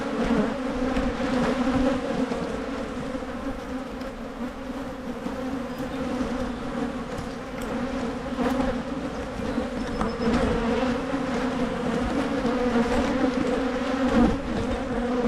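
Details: Many honey bees humming around Michigan hives during splitting meant to prevent swarming; a long, unbroken, slightly pulsing drone holding a low pitch with soft overtones, a few faint taps scattered through.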